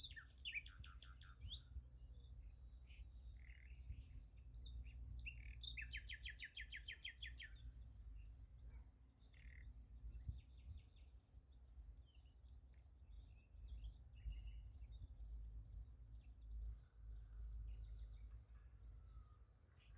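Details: Crickets at night by a sunflower field keep up a steady high pulsed chirping, while two bursts of rapid, buzzy bird trills stand out early on, with occasional bird notes afterward.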